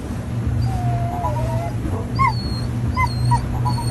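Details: A Border Collie on an Alaska whale-watching boat, seeing a whale for the first time, gives a long wavering high whine, then short rising whimpers, all over a steady low engine hum.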